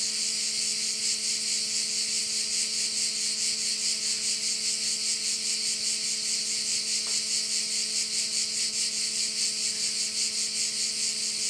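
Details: Crickets at one of the bays of Korčula in Croatia: a continuous shrill, rasping wall of sound throbbing in quick regular beats, with a quiet steady drone underneath and one brief click.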